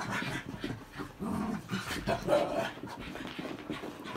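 Cairn Terriers growl and pant in rough, noisy bursts while fighting.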